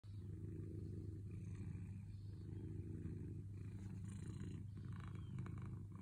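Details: Domestic cat purring contentedly while waiting to be petted; a steady low rumbling purr continues without break, with faint higher rustling near the end.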